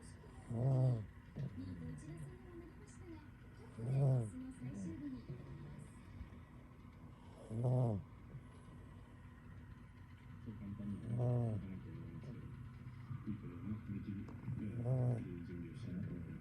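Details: Deeply sleeping cat tucked in a warm kotatsu during the colder season gives steady low snores, one rough harmonic rumble about every three and a half seconds, five in a row, soft breathing in the gaps.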